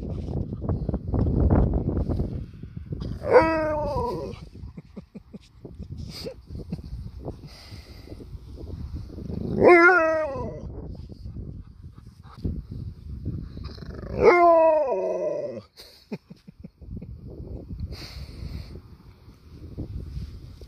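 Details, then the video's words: An Alaskan malamute named Sherpa protests having his paw touched with three wavering, harmonic howl-grumbles, spaced about five seconds apart. Each bends up and then down in pitch. Low rustling and handling noise fill the gaps. "Touch my Paw again! I Dare You! Malamute with Attitude"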